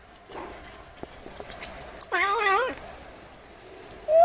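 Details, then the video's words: Cute black kitten with a single wavering, mid-pitched meow lasting about half a second, then the start of another meow right at the end, over quiet background hiss and faint clicks. "Tiếng Mèo Kêu Meo Meo"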